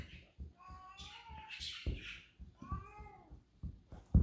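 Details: A Basset Hound begging for food gives drawn-out, wavering whines while a person nearby answers, refusing to share.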